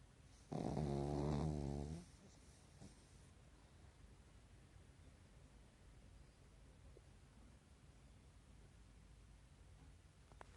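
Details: A Pekingese napping during the day in REM sleep, eyelids not fully closed, gives one loud, rough, rattling snore lasting over a second, then only quiet room hush.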